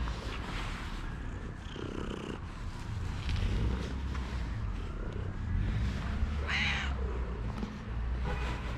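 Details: A smoky calico cat, a timid female who had just come to trust a person, purrs in a low, continuous rumble throughout, broken by a brief high meow near the end.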